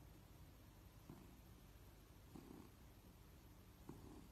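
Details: Domestic cat purring quietly while being scratched and petted; soft low rumbling pulses recurring about every 1.3 seconds, with faint breathy swells and a steady background hiss.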